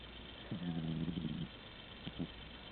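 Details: Tigger, a sleeping pet cat, snoring hard indoors: one long low rasping snore of about a second, then a couple of short soft snuffles, over a steady faint room hum.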